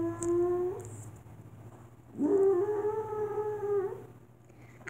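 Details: A dog howls in two separate phrases, softer than before: a short level note, a pause of over a second, then a longer steady howl that rises slightly and holds before fading; a low constant hum runs throughout.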